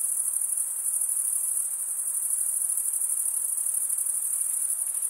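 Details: Chirping crickets: males stridulating with a comb-like serrated wing vein make a continuous shrill, high trill with a fine rapid pulse and a steady level throughout. Nothing else is heard.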